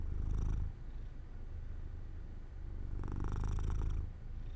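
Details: Purring from Jojo, a pet cat drifting to sleep beside an open window in sunshine; low throbbing rumble, loud at the start, softer through the middle, then a second strong inhaled surge.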